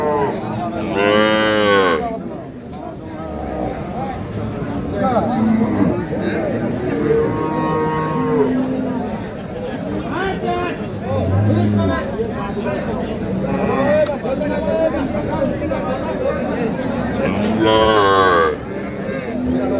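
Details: Dairy cattle at the Khochabari livestock market in Parbatipur, Dinajpur, Bangladesh, on Monday 19 January 2026, where Sahiwal, Sindhi and local breed cows are sold with calves; two rich, drawn-out moos stand out amid constant crowd chatter and haggling.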